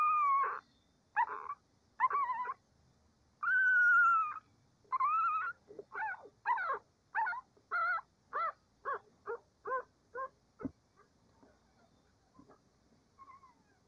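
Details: Cavalier King Charles Spaniel puppies before breakfast whine loudly, starting with several long high whines. These quicken into a string of short yelping cries about every half second, then trail off into faint squeaks.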